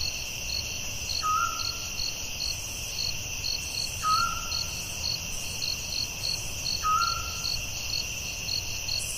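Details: Crickets at night in a forest sing a steady high trill with a pulsed chirp repeating about twice a second. A short whistled note sounds about every three seconds.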